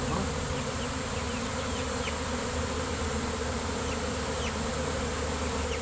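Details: A swarm of about 15,000 to 20,000 Western honey bees with their queen, just knocked into a box for relocation, gives off a dense, unbroken droning buzz that stays level throughout.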